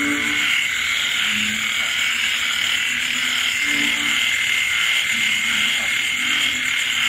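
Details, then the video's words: Frogs croak through a rainy night in rural countryside. Brief, low croaks overlap in an irregular pattern, while shrill insects trill steadily above them and rain falls steadily. "Bạn nghe tiếng ếch nhái kêu trong đêm khuya."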